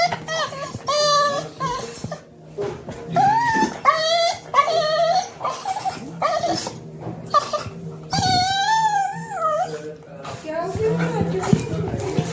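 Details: A male Cocker Spaniel puppy whines in high, wavering, drawn-out cries at dinner time, pleading for his food.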